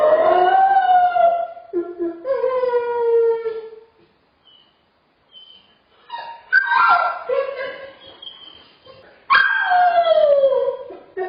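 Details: Dog suffering separation anxiety cries alone in a crate, giving drawn-out tonal whines that sink in pitch, then after a quiet gap sharper rising yelps that fall into long wavering howls.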